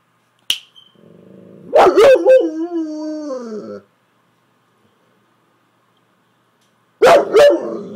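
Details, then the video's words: Saint Bernard kept as a pet 'talking' to its owner, apparently trying to tell her something: a long, wavering howl-moan with sliding pitch lasting about three seconds, then after a pause another short, throaty vocal burst; a sharp click near the start. "Saint Bernard trying to tell me something!"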